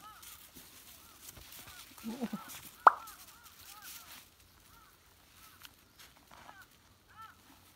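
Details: Newborn Beagle puppies, nieces of a Beagle named Gonta, on Amami Oshima, give thin, high, arching squeaks and whimpers in short scattered bursts, with one sharp click and faint human murmuring in the background.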